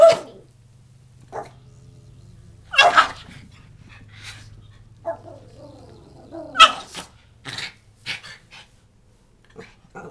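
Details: A male Schipperke reacts to a buzzing "buzz monster" with abrupt, loud barks spaced a few seconds apart and a few softer yips, over a low steady droning hum, as a person speaks briefly between barks.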